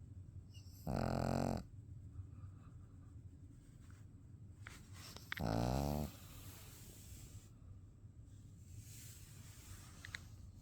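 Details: Pet dog asleep with its eyes open, snoring indoors: two long, throaty snores with layered harmonics, about four seconds apart, over a low steady room hum.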